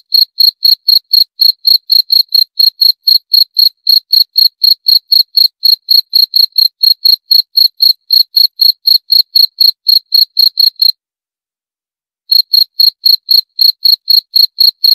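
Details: A lone cricket keeps up a shrill, evenly spaced chirp about four times a second, falls silent for over a second, then carries on at the same pace; nothing else audible.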